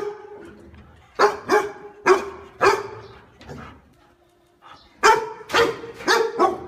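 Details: Pet dog giving a run of sharp, harmonic barks in clusters, a brief lull in the middle, then a fast burst of four barks at the end.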